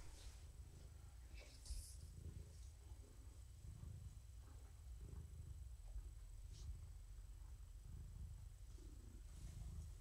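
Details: Female rescue cat purring indoors in the evening while being petted; a steady deep rumbling purr swells and eases in slow breath cycles about every second and a half, with faint rustling and soft handling sounds.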